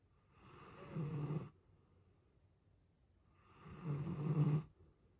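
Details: A giant Alaskan Malamute snores loudly in two long, low, rumbling breaths a few seconds apart.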